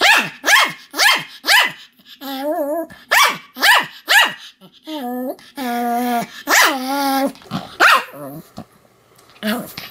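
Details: Pomeranian named Sam barking continuously, recorded 7 October 2015: sharp, high barks repeated about twice a second, broken by drawn-out whining yelps with clear stacked tones.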